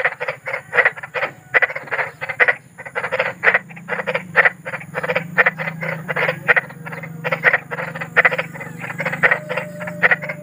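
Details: Large frogs in a natural setting at night, giving bursts of coarse, buzzy croaks repeated quickly in uneven runs, over a low rumbling hum.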